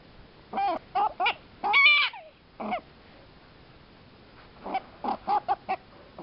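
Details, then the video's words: A single happy prairie dog calls in bouts of short, sharp squeaky yips, one longer squealing note in the middle, then a pause before another quick run of clipped chirps. "one happy prairie dog"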